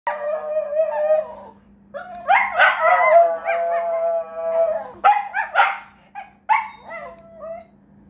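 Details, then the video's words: Shetland Sheepdog howling indoors: long wavering tonal wails with rich harmonics, sliding up and down in pitch, broken by short yelping notes and brief pauses, over a faint steady low hum. "The Howling sheltie"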